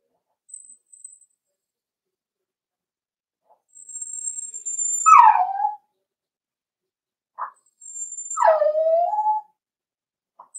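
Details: Four-week-old Cavalier King Charles Spaniel puppies in a home puppy pen, meeting other dogs and trying puppy mash; two drawn-out whimpers slide down from high to low, with faint thin high tones and short quiet gaps between.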